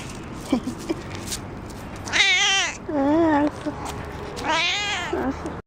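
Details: Tuxedo cat busy grooming indoors gives three wavering, harmonic-rich meows, the first and last higher and drawn out, the middle one lower and shorter, with a few soft clicks and rustles between.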